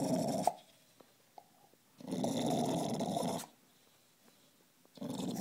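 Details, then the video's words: Indoor bulldog growl: harsh, gurgling rumbles in sustained bursts, one lasting about a second and a half, separated by near silence with faint clicks, resembling bubbling through a bong. "Bulldog sounds like he's hitting a bong"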